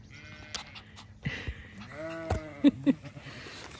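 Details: A few ewes on a regenerative farm in County Kilkenny, Ireland, approached with a bucket of food: a wavering, nasal bleat near the middle, followed by two short low grunts, with a woman's voice and rustling around it.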